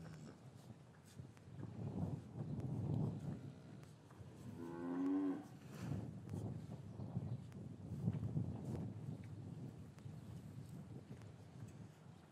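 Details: English cattle yard on a winter afternoon with calves separated from their mothers; a single short moo rises midway through, surrounded by low shuffling and rumbling movement of the herd.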